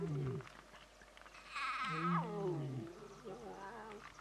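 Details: Lion cub crying to its mother, begging for milk while she refuses: a short low moan, then a louder harmonic wail that rises and slides downward, followed by a softer wavering cry.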